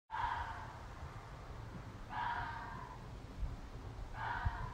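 A red fox gives hoarse, breathy cries, each about half a second long, repeated roughly every two seconds.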